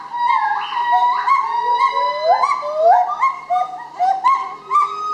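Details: Gibbons singing at Dusit Zoo in Bangkok, Thailand: loud, clear whooping notes that swoop upward and bend, overlapping one another in a fast run of rising hoots with strong harmonics.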